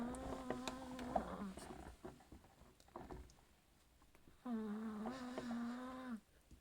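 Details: Chihuahua snoring until it wakes itself up; two steady, nasal, whistling hums, each one to two seconds long, with soft rustles and sniffs between them.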